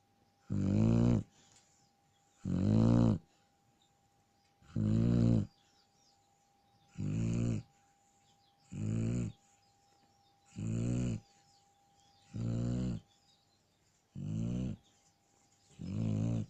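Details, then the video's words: Sleeping Shar Pei snoring: deep, rumbling, throaty breaths in about nine loud bursts, each around a second long, spaced roughly two seconds apart, with quiet pauses between and no other clear sounds. "Шарпей храпит"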